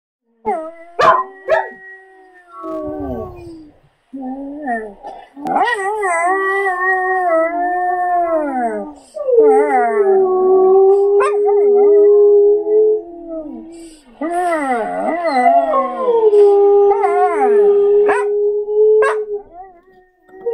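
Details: Calla, a female Samoyed, howls in response to recorded Samoyed or husky howls. Long, wavering, harmonic-rich howls bend up and down, with short broken yelps between them and a steady drawn-out tone near the end.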